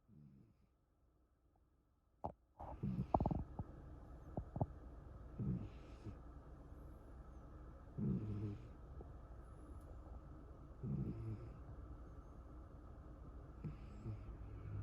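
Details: Puku, a rescued cat, snores after sleeping all day while half-watching the owner through half-open eyes; soft, rough snoring breaths come at regular intervals of about two and a half seconds, with a few sharp knocks near the start indoors.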